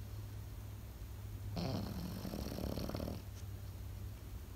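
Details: One drawn-out, fluttering snore from a sleeping Pekingese, lasting about a second and a half, rises out of a quiet room with a faint low hum.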